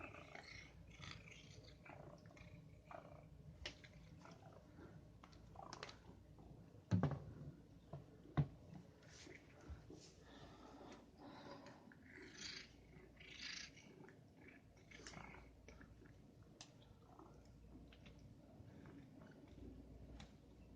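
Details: Male domestic cat playing indoors with a bath stopper: a soft, low rumbling purr runs throughout, broken by scratchy rustles, clicks and a couple of sharp knocks from the stopper being batted about.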